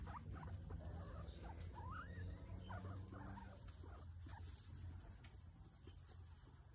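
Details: A guinea pig named Potato having its nails clipped gives short squeaky chirps that rise and fall, clustered in the first three seconds, over a steady low rumble and handling noise.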